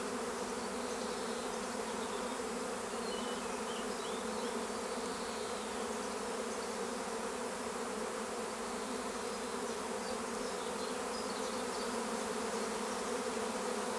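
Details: Honeybee swarm at Longué-Jumelles, France, with bees near fir trees being coaxed to cluster: a dense, steady droning hum of countless wingbeats, continuous and even throughout, with faint higher buzzes of individual bees passing close.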